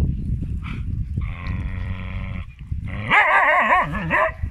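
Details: Female Siberian Huskies arguing: a steady whining tone, then loud wavering, yodel-like howls that rise and fall in quick undulations, with a low rumbling background throughout.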